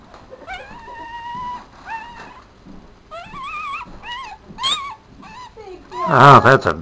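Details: Tiny Papillon puppy, a four-day-old male placed in a black dress shoe, starts with thin, steady whistled squeals, then gives shorter wobbling squeaks, and ends with a sudden loud burst of sound.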